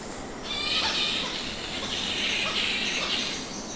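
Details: Flying foxes roosting in subtropical trees give harsh, screechy chattering calls that overlap in a continuous squabbling din.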